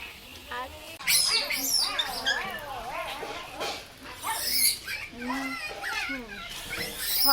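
A baby langur gives high, wavering squeals and chirps, with people talking nearby.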